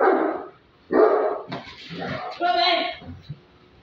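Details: In guard training, a Great Dane gives two deep, explosive, aggressive barks on a man's "attack" command, followed by the man's voice praising him.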